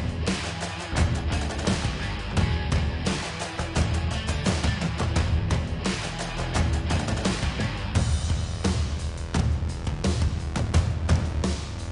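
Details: Loud, driving rock-style music with heavy bass and drums throughout, and no animal sounds.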